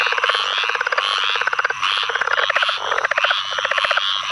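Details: Southern leopard frog (Lithobates sphenocephalus) calling with rapid, guttural chuckling pulses in quick bursts, in a field flooded by Tropical Storm Ana rains, Onslow Co., NC, 11 May 2015; other leopard frogs, squirrel and pine woods treefrogs also calling.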